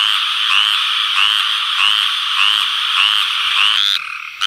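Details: Tree frogs in the mating season, males calling at night for females: a dense buzzing chorus with overlapping rasping notes that rise at the end, one recurring about every 0.6 seconds, briefly dropping near the finish.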